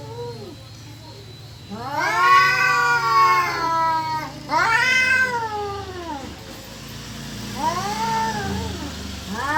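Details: Cats yowling during mating or fighting, loud arching wails that rise then fall, three long cries of roughly one to two seconds and a softer fourth, over a low steady hum.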